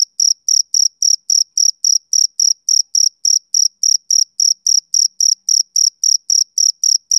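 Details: Steady, sharp chirps of a male cricket on a summer evening, each a short high trill, repeated around three to four times a second without pause; no other sounds present.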